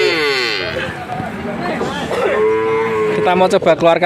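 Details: Male calves, part of a batch of 19 head for sale in Grabag, Magelang regency, Indonesia; a harmonic moo rises through the middle and end, overlapping human talk and shuffling noise.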